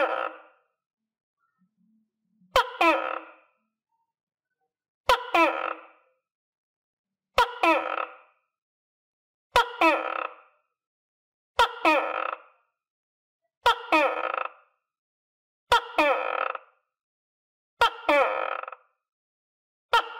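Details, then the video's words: Captive tokay gecko, kept with other tokay geckos and previously dewormed and given vitamins, calling while eating crickets: about ten loud, nasal, two-part croaking calls, each opened by a sharp click, repeated roughly every two seconds in a quiet room. "Sound Of Tokay Gecko"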